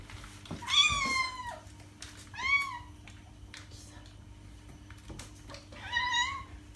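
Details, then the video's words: Domestic cat meowing indoors: three drawn-out, wavering meows with rich overtones, the first longest, spaced a couple of seconds apart over a faint steady electrical hum. "Cat sound - cat meowing to attract cats"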